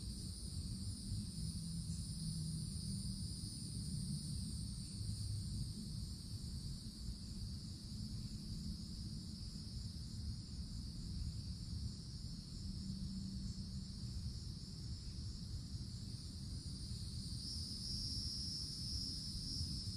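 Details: Cicadas in a summer woodland, forest canopy above: a long unbroken high buzzing drone, its lower band swelling louder near the end, with steady low rumble in the background.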